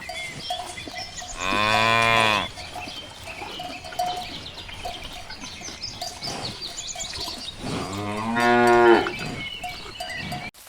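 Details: Cows leisurely grazing in a ripe rice field on a countryside afternoon give two long, throaty moos several seconds apart, each rich in stacked harmonics, with soft rustling and faint background noise between them.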